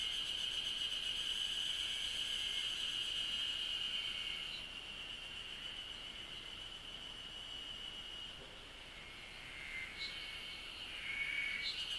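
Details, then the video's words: Cicada chirping in Japanese countryside: loud, steady high whine with a fast pulsing overtone at first, easing in volume midway, then several short thin rising notes near the end. "the chirping of cicada is beautiful"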